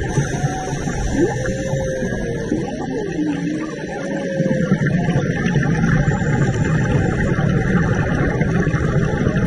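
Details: Underwater humpback whale song recorded on a March dive near Maui: a few drawn-out, gliding moans and short upsweeps early on, then fading into a constant wash of hissing bubble and water noise.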